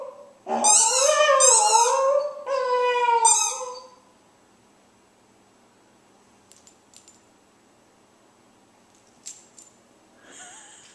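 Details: Pet dog howling along with its squeaky ball: a few seconds of wavering, sliding howls blended with high toy squeaks, followed by near silence broken only by faint clicks and a brief squeak.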